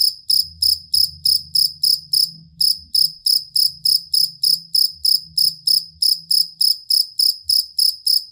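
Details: Cricket (jangkrik kalung or jangkrik aduan) used for tutoring songbirds: bright trilled chirps at a regular beat of roughly three per second, one short pause early on, light low-pitched murmur behind.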